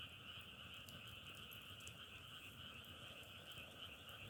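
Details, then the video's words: Frogs in full chorus, their overlapping calls forming a loud, unwavering trill, with a few soft crackles in the first seconds. "자연의소리 장작타는소리=개구리소리"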